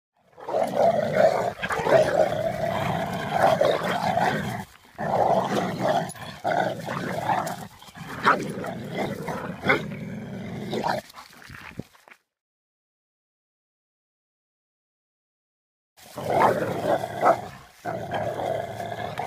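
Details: Two dogs fighting over a ring toy, a continuous stream of rough, rumbling growls and snarls with rapid pulsing, broken by a silent pause of about four seconds before the growling resumes.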